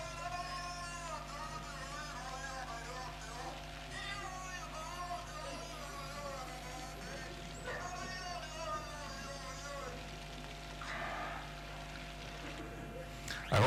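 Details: A beluga whale, claimed to copy human speech, makes low, harmonic, voice-like sounds with the rhythm and pattern of human speech, unlike a normal beluga's calls.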